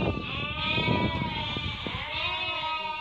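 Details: Merino sheep offered for import from Hungary while a customer from Turkey picks animals: long, wavering, harmonic bleats from several sheep overlapping almost continuously, with low rumbling background noise.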